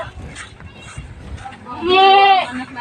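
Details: Domestic goat that has just given birth, one of its two newborn kids being a female; after faint background murmur, a single loud wavering bleat with rich harmonics lasting about half a second, then quiet.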